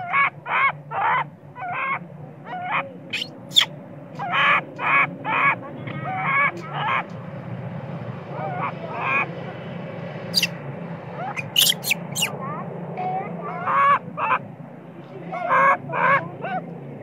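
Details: Spoiled baby monkey crying and screaming, angry with its mother when sleepy; loud harmonic shrieks in repeated bursts of about half a second, several in quick series with short pauses, some squeaky high notes, low background hum.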